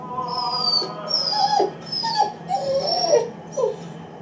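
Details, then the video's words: An eight-week-old Great Dane puppy, unhappy at being left alone in the room, gives short squeaky whines that dip and bend in pitch, several in quick succession, over a low constant background hum. "Great Dane Puppy is Lonely"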